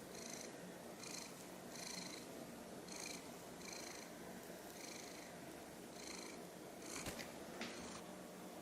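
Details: A mackerel tabby house cat named Sushi purrs rhythmically while watching a toy taken away because she nearly swallowed it. Her breath cycles recur about every second, with a couple of brief clicks near the end.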